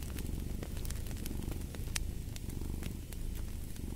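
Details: Low, rolling cat purr with a throbbing texture, heard as a close, steady rumble. Bright pops and crackles from a burning fireplace punctuate the sound.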